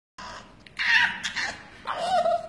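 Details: Bulldog at Pets Playhouse Kennel in Mumbai, where puppies are kept, 'talking': a raspy, breathy yowl in two bursts, the second settling into a drawn-out moaning tone, in a small indoor room.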